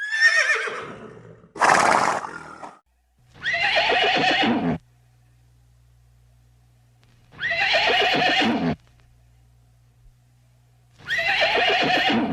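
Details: Horses in the pasture whinnying, loud descending neighs with trembling, richly harmonic tone, repeated about every four seconds with quiet gaps and a steady low hum between calls.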